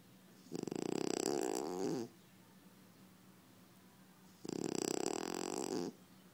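A sleeping French Bulldog gives two loud, rough snores about four seconds apart. Each is a buzzing, vibrating rasp with a faint wheezy whistle, separated by quiet breathing.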